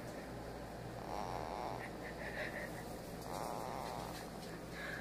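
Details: A sleeping pet ferret makes silly little noises during a foot massage: two soft, hollow snorting puffs about two seconds apart, with faint squeaky tones between them, over a constant low background hum.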